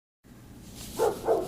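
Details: One of the household's own dogs, outdoors, gives two quick, mid-pitched barks in a row after a moment of quiet hum.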